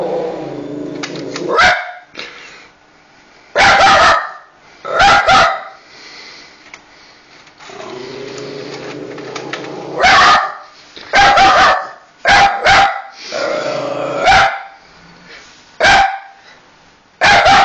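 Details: A dog barks in sharp, irregular bursts, some single and some in quick pairs, with growling between barks, reacting to the noise of a PS3 ejecting a disc.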